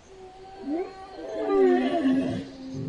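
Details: An elk (Cervus canadensis) gives a drawn-out, tonal moaning call that bends up and down in pitch.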